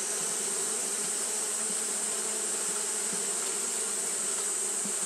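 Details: Continuous wing hum from Japanese honey bees fanning on a hot day: a low, steady, slightly pulsing drone beneath a constant high hiss.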